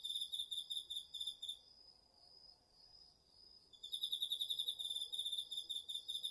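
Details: Autumn night chorus of crickets and other insects in a garden field, captured with a DR-40X: quick shrill pulsed chirps, then a two-second lull filled by a thin, even, sustained tone, before the pulsing trill returns strongly.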